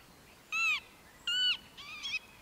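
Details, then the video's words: Prairie dogs from a huge town behind a riverside campsite on the Wild & Scenic Upper Missouri River, calling in the morning: three sharp, high, harmonic chirp-barks about half a second apart, the last one doubled and softer. "Prairie Dog Good Morning"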